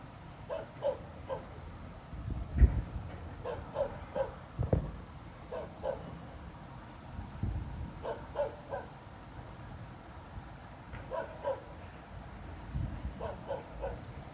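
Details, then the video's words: Night-time dog barking, 02:28 on 26 November 2016, going on for half an hour and keeping a listener awake. Sets of three or four barks recur every couple of seconds over a low droning noise. "Снова беспричинно лает собака."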